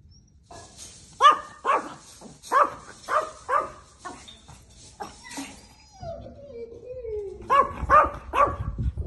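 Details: Female Chihuahua puppies, eight months old, offered in Italy: a run of sharp high yips and short barks, several in quick bursts, with a pause and a low whine near the middle, then more yipping at the end.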